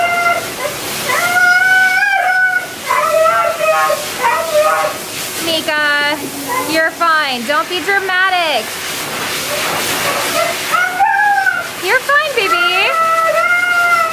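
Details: Siberian Husky Meeka, a female, yelling the whole time at the groomers: sustained quavering whines break into fast warbling yodels and dipping howls, with running water and human chatter behind.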